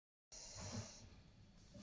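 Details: Pet dog snoring while asleep indoors: one raspy, hissing breath with a low snorting rumble, starting after a brief silence.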